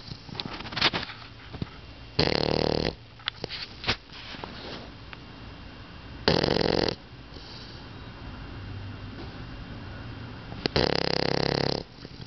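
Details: A pet dog asleep and snoring heavily, said to sound like an old man: three drawn-out, rough inhaled snores about four seconds apart, with faint snuffles and small clicks in between.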